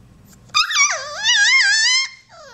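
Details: New Australian Shepherd and Poodle cross puppy giving a squeak: one drawn-out, high wavering whine lasting about a second and a half, dipping then rising and wobbling in pitch, followed by a faint softer trailing whimper.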